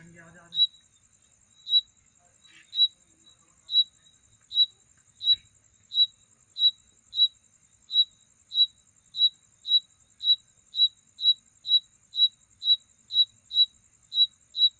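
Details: Insect calling at night as a mating sound: short, sharp, high chirps. They start about one per second and quicken to roughly two per second. A faint continuous high whine runs underneath, with a brief low rustle at the start.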